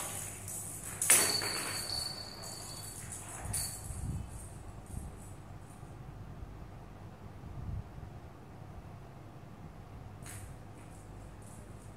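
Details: A jingling bell, a few soft knocks and clatters of play sound in a quiet room, with no animal voice heard.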